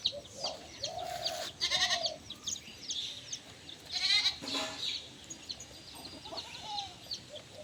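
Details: Goats on a small farm in Bangladesh, kept indoors, while the farmer talks about their names; several short wavering bleats at varied pitch, mixed with a voice and other farmyard noise.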